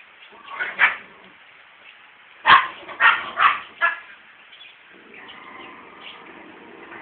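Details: A male dog courting an unwilling female dog: one early bark, then a burst of four rough barks in quick succession, followed by a softer, drawn-out whining or yelping sound.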